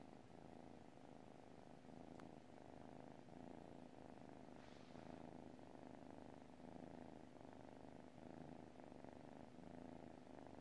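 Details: A kitty purrs in its sleep, a soft continuous rumble pulsing with slow breathing; one brief click and a short faint rustle partway through.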